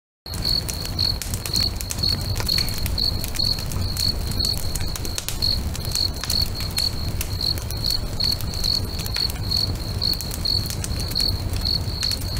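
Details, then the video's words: Crickets singing beside a lake at sunset, a steady train of short, high pulsed chirps about two to three per second, over loud crackling and popping of a bonfire with low rumble. "FIRE & CRICKETS AMBIENCE"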